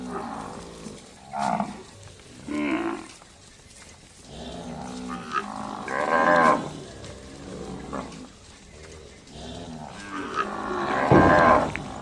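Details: Cattle on a cattle farm in village life, lowing in several short harmonic moos of varying length, rising and falling, over a steady noisy farmyard background.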